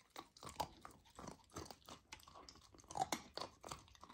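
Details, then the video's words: Lilo, a golden retriever puppy on a raw diet, eats raw lamb for the first time indoors, with wet crunching bites and chewing in quick irregular bursts. "Puppy tries raw lamb for first time! ASMR Eating Sounds"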